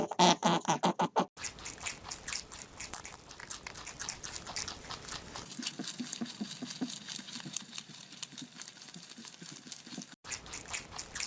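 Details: Rabbits eating: a few loud crunching bites at the start, then steady fast nibbling and chewing clicks, irregular and dense, softening toward the end.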